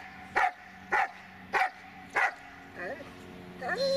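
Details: Magmar Von Der Burgstätte, a Dobermann, barks four times at an even pace about every 0.6 seconds, followed by wavering tonal human vocal sounds at the end.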